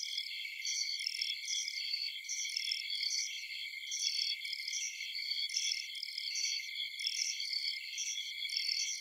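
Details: A dense night chorus of insects, bugs and crickets in a forest, with steady, high trilling and chirping layered in several pitches.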